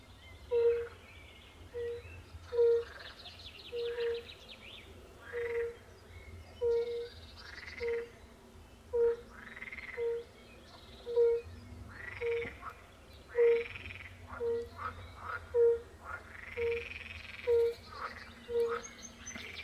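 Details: European fire-bellied toads calling by a forest pond in Poland, with pool frogs also present: short, soft, low hooting notes repeated roughly every second in an overlapping chorus, with bird chirps and calls above.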